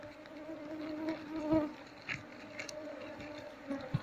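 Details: Honey bee colony humming while its combs are removed one at a time for transfer into a keeping box; a continuous low drone with small rustling bumps of handling.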